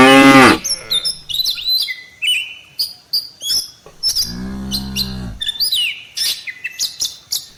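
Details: Herd of tame cattle heading toward the farm barn after grazing in the fields: a brief moo ends at the start, then a softer, lower moo of about a second, under abundant whistled bird chirps.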